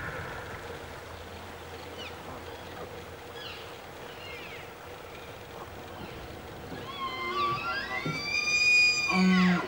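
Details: Wapiti (elk) bull bugling in a forest during the fall rut in early September, a call that both challenges rivals and invites cows; faint thin sweeps give way to a loud, rising, high whistled bugle with bright overtones over the final three seconds.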